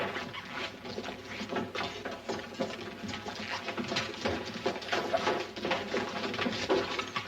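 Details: Horse walking inside a barn: irregular hollow hoof thuds and scraping shuffles on the floor, fairly dense and uneven in loudness, with a faint thin rising whistle around the middle.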